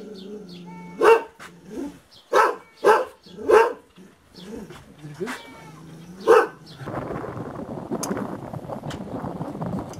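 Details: Aboriginal Tibetan Mastiff guard dog from Tibet, the Do Khyi, barks singly and in pairs, five strong barks spaced roughly a second apart, followed by a stretch of broad rustling noise and faint voices.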